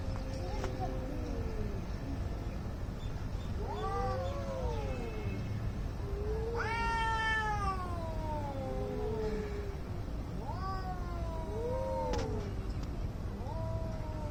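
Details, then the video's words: Fighting cats howling angrily: drawn-out wavering yowls that swell and sag, one loud strained wail midway rich in overtones, separated by short pauses over low background hum. "CAT FIGHT ANGRY CATS - Making weird noise"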